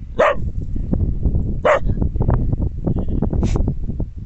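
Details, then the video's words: A Border Collie gives a few sharp, widely spaced barks toward the mountains and nearby sheep, over steady low rumbling outdoor noise. "border collie barking at the mountains and sheep in the back ground"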